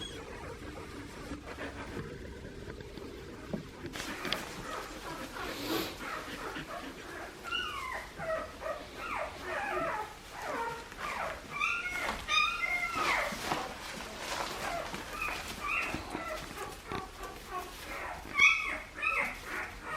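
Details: A litter of Australian Shepherd puppies, offspring of Poppy and Dublin, yips and whimpers in thin high-pitched bursts that grow busier after a quiet start, with the pups overlapping one another and some background handling noise.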